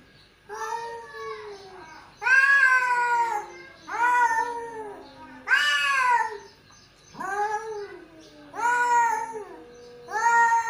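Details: Two male cats calling: a series of drawn-out, wavering yowls, each rising then falling, about seven in ten seconds, some overlapping as the pair answer each other indoors.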